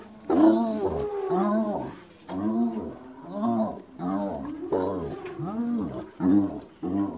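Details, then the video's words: Spotted hyena giggling in bouts of quick, bouncing, whining notes, each bout a few arched yelps. The bouts are separated by brief pauses, with a louder, harsher note at the start and near the end. "Hyenas laughing (and whooping, giggling, and grunting)"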